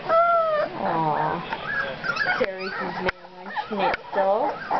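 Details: Puppies two weeks old squealing in loud, harmonic yelps that swoop up and down, broken by sharp knocks, while a person chats close by.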